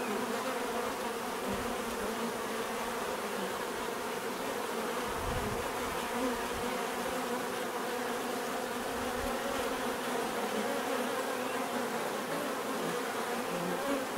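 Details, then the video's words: Bees buzzing steadily in a relaxing natural setting, a dense continuous drone with overlapping wingbeat hum, no pauses, a few low thumps near the middle. "bees therapy relaxing natural buzzing sound"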